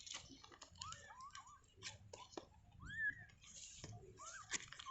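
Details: Freshly born kittens in their cage utter short, upward-sweeping squeaky mews among soft clicking and shuffling sounds, one louder rising cry standing out midway.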